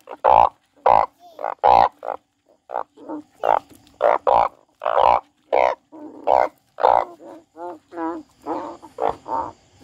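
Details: Crying frog giving a steady series of short, reedy croaks, roughly two per second, some ending in quick wavering notes, over faint background hum.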